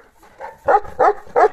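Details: Central Asian Shepherd male named Altai, father of a three-month-old female puppy, barking as if scolding his daughter: a soft lead-in, then three loud, clipped barks in quick succession, roughly a third of a second apart.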